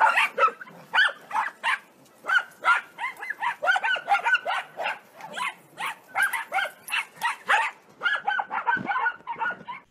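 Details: Corgi barking in a rapid run of short, sharp yaps, about two to three per second, bouncing in pitch, continuing for ten seconds with only brief gaps.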